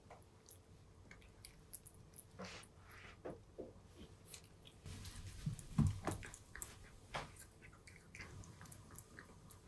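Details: A cat eating dry kibble indoors at home, soft irregular crunching bites repeating about three times a second, quiet with a louder cluster of crunches around the middle.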